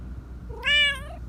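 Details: A loud, close meow from a black Persian cat known for frequent calling, with a cartoonish voice. A single harmonic-rich cry swells quickly, holds briefly, then fades, with faint low hum behind it.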